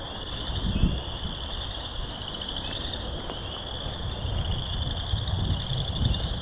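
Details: Frogs calling in March at Burr Reed Marsh along loop 3, Morton Arboretum, loud during a hike: a steady high-pitched trilling chorus, many overlapping pulsed voices, above a constant low rumbling noise.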